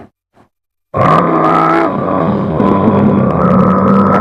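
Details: Muskox. After a near-silent start, a muskox breaks into a loud, gravelly bellow. The low, roaring tone is held for several seconds with a rasping, grunting texture and little change in pitch.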